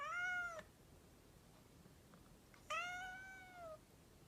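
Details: Two clear, strongly harmonic meows from a mischievous pet cat: a brief bright one at the start, then after a two-second pause a longer, gently arching meow lasting about a second.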